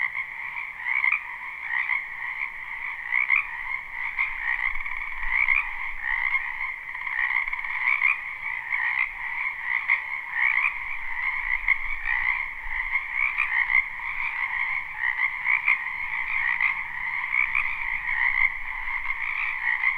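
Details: Frogs in a spring wetland behind a house, recorded live without looping. Loud massed croaking with rapid pulsing trills over a steady two-banded drone, swelling and ebbing every second or so, and faint low rumbles.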